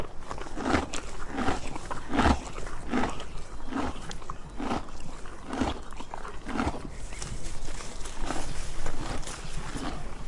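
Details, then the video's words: A donkey eats, its crisp grinding chews coming in an even rhythm roughly every 0.75 seconds over a constant low outdoor hum. "Donkey Eating Sound Effect"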